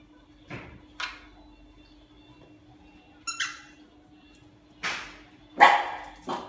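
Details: Siberian Husky playing happily with a toy snatched from another dog in Singapore: scattered short yips and a few sharp barks separated by quiet gaps, with a steady faint hum behind.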